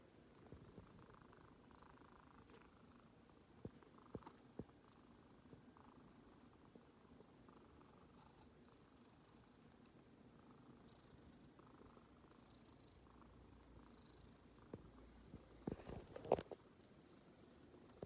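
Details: Black cat purring while basking in morning sunshine; a steady, gentle low rumble runs throughout at low volume, with a short burst of rustling and handling noise near the end.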